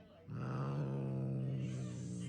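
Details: Domestic cat growling in one steady, low, rumbling tone that holds for about two seconds after an abrupt start.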